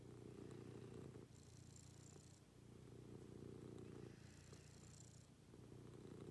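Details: Morning routine with a pet cat purring close by: a low, grainy, continuous rumble in breath-paced surges, a brief dip between phases, soft airy hiss overhead.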